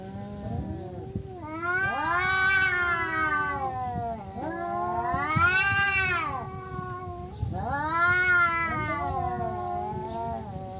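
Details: Male cats disputing territory, three long arched yowls about four seconds apart, each swelling upward then sliding down, with rumbling low noise between them.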